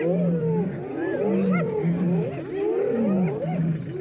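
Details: A pack of spotted hyenas ganging up on a lioness in the Maasai Mara, filmed March 17. Overlapping, swooping tonal cries rise and fall over a steady low drone, loud and close.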